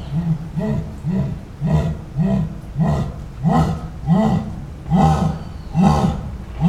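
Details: A jaguar (Panthera onca) esturro, recorded live: eight heavy, hoarse grunts spaced under a second apart, each a low, rasping cough-like stroke.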